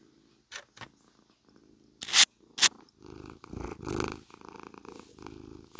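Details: Purring cat during brushing, picked up on a close, loud mic: a few crisp brush swipes first, then a warm, even purr with rhythmic in-and-out breath pulses takes over for the second half.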